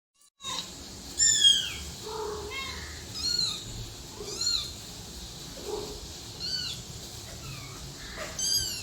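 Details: Cat and kitten meowing: a series of short, high, arching mewls, some thin and squeaky, others lower and fuller, spaced about a second apart over a faint steady hiss.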